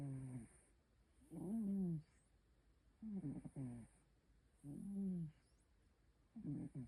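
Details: Domestic cat snoring loudly in its sleep, giving deep buzzy rasps at a steady rhythm of about one breath every one and a half seconds, some with a fluttering rattle, separated by near-silent gaps over faint background hiss.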